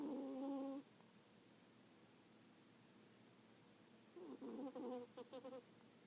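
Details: Cat asleep and snoring. A short, buzzy, harmonic breath opens the clip, then after a pause of about three seconds a longer, broken, stuttering snore follows as the cat breathes in. The background is quiet.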